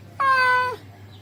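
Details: Single sustained meow from a male cat calling a female: rich and harmonic, holding a level pitch for about half a second before dropping slightly at the end, with a low background hum.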